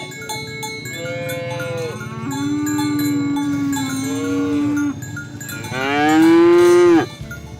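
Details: Cattle being herded through muddy fields to the barn, calling friends to the pen: a long, steady low moo, then a louder rising-and-falling bellow near the end, over constant ringing cowbells.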